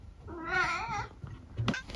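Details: A chatty senior tabby mix named Eric, at home in the UK, answers his owner with a single wavering, warbling meow that rises and falls over about a second, followed by a brief knock and low household hum.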